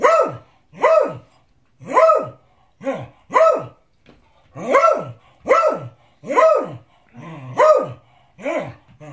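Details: Beagle barking insistently while demanding his dinner: loud, sharp barks repeated roughly every second, about eleven in a row, with brief pauses between.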